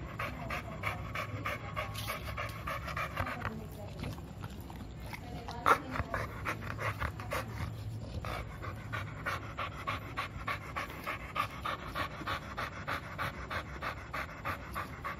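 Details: American Bully named Milo, two years old, pants while asking for play; rapid rhythmic breaths around three a second, with a brief lull and a sharp knock midway.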